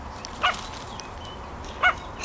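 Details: Chihuahua at the Petits Mots Doux breeding kennel, heard with its toy: three short, high yapping barks spaced about a second apart against a quiet indoor background.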